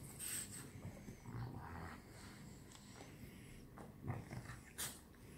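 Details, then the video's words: Several French Bulldogs at play together at night give low, rumbling growls and soft snorts, with occasional brief clicks and scuffles from their movement. "Funny: the French Bulldogs play together!"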